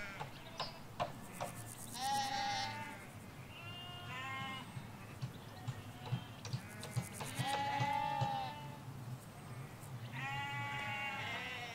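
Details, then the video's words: Ewes and lambs in a Hampshire countryside field bleating repeatedly, several overlapping voices with harmonic wavering calls around two, five and ten seconds, faint bird chirps and a distant road hum underneath. "4K Sheep Field - One Hour Sound and Video"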